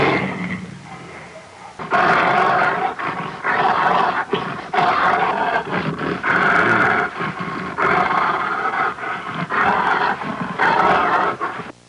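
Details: Tiger: a loud series of rasping roars and growls repeated in pulses about every second. Each burst is rough and throaty with a strong, mid-pitched tone.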